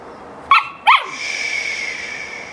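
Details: Samoyed dog barking during playtime: two sharp, high yelping barks in quick succession, followed by a steady faint whine-like tone lingering in the background.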